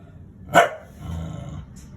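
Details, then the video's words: Dog making a sound described as laughing: one short sharp bark followed by a low rumbling growl lasting about half a second, then quiet. "Dog laughing"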